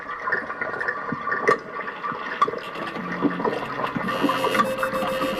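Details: Rushing, gurgling water noise like a flushing toilet fills the recording, with faint tonal squeaks. No clear animal voice stands out.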